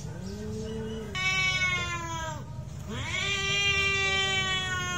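Fighting domestic cats give drawn-out, strained yowls, each wail rich in harmonics and bending up and down in pitch. The caterwauling comes in long overlapping bursts against a low background rumble.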